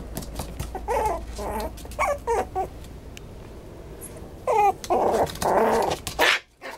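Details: Maltipoo dog giving a series of short whining whimpers in clustered bursts, several quick high yips close together, then pauses of quiet hiss with faint background noise between them.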